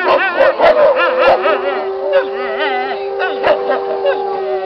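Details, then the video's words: Wolves singing together in a pack: a steady low sustained howl beneath rapidly warbling higher howls and clipped yips, the voices overlapping densely throughout. "Wolf pack howl"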